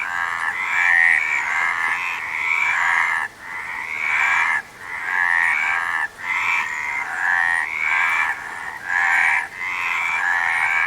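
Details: Dense frog chorus of buzzy, vibrating croaks, waves of calling lasting one to two seconds that are interrupted by sharp short dips at irregular intervals.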